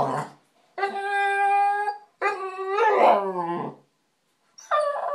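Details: American Bulldog, a male pet dog, whining for attention as he does daily when ignored; drawn-out, high, tonal whines with rich harmonics, about a second each, separated by short silences, the middle one wavering and breaking near its end.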